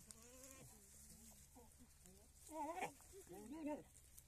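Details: Farm male goat kept for mating with many goats; low murmuring sounds at first, then two short, strong, wavering bleats in the last two seconds.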